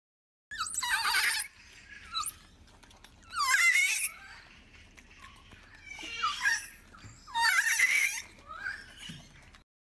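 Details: Golden snub-nosed monkey calls: three loud, harsh, raspy bursts about a second long, roughly every two and a half seconds, with softer rough calls between them.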